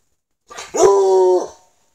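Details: A male Treeing Walker Coonhound in an old school bus being turned into a mobile tiny house answers praise with one short grunt and then a single steady, held bay lasting under a second, in a small enclosed space.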